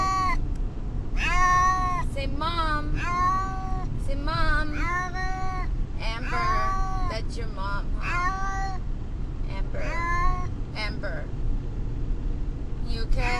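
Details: Pet cat Brutus the Beefcake in a car heading to the vet, calling out in distress with meows said to sound like "Amber": a rapid, uneven string of about a dozen wavering meows over constant road and engine rumble.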